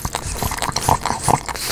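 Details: A pug named Omame eating, recorded close with a newly acquired microphone and no added sound effects: rapid wet crunching and smacking chews repeating several times a second, with brief tonal squeaks mixed in.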